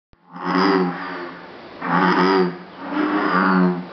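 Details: Bullfrogs at Jurong Frog Farm, Singapore, possibly calling to mate: three long, deep, droning croaks about a second each, rich in low harmonics, separated by short pauses.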